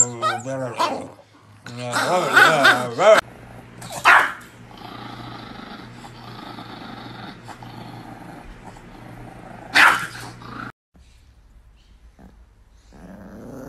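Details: Angry pet Chihuahua snarling and growling, with sharp harsh barks breaking out near the start, again around four seconds and once near ten seconds, over a low steady hum that drops away toward the end.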